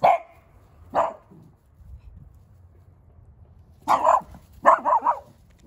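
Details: Miniature Dachshund barking outdoors while three mini dachshunds, Daisy, Charlie and Lucy, chase balls, with Charlie named as the barker: two sharp single barks a second apart, a pause, then a quick burst of three or four yapping barks.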